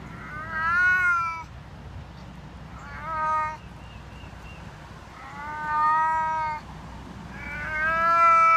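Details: Deaf domestic cat giving loud, long, harmonic yowling meows, four drawn-out wails spaced roughly two seconds apart, each rising slightly then falling, with low room hum between calls.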